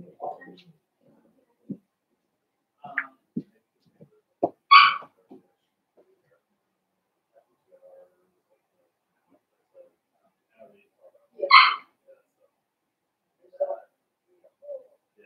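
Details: Blenheim Cavalier King Charles Spaniel puppies from a litter of five born at New Year, kept indoors in a home puppy pen; two sharp, high yaps about seven seconds apart, with faint scattered whimpers and small room noises between.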